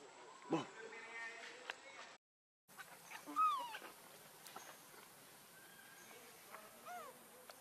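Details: Baby monkey Leo crying and begging its mother for milk while hungry: a few high, arched whining cries that rise then fall, with a sharp click at the start and a short gap of silence before them.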